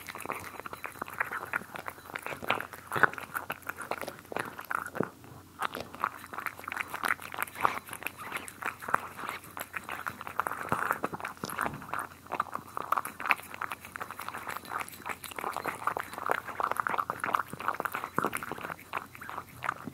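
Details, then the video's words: Steady chewing from cats eating, captured close for ASMR: continuous fine crunching and soft clicking bites over twenty seconds, with brief quieter gaps and a hushed indoor background. "ASMR Cats Eating"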